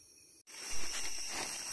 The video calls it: Cicada sound and look